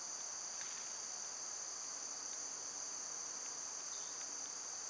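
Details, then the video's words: Constant high whirring of cicadas during summer, a flat sustained insect drone, broken only by a handful of quick faint bird ticks and chips scattered through the recording. "Birds & Squirrels w/ Cicada sounds"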